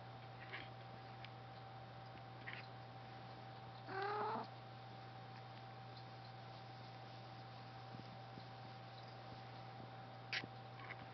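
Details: A Maine Coon cat getting her tummy rubbed gives a single short, rising-and-falling meow over a steady background hum.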